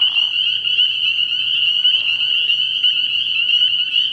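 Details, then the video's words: Spring peepers calling in a dense night chorus at a frog pond early in the year: countless high, shrill peeps blur into one steady ringing band, with faint lower rasping notes near the start. "Tree Frog Sounds"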